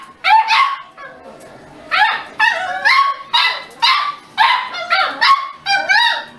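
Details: Pet Beagle giving drawn-out, rising and falling baying barks, about a dozen in six seconds, each with a wavering howl-like tail, close and loud.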